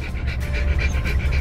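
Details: Pair of Siberian Husky puppies at a dog park for the first time, accompanied by both parents; steady fast panting, roughly six to seven breathy puffs in under two seconds, under low background rumble.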